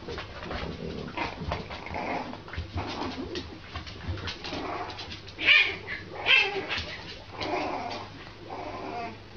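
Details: A French Bulldog puppy alongside a kitten indoors; a string of breathy, whining grunts and yelps repeats roughly once a second, with two sharper louder squeals in the middle.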